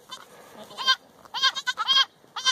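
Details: Baby Boer goats on a family farm give loud, wavering, nasal bleats in quick overlapping bursts, several kids calling close together, each cry brief and strained.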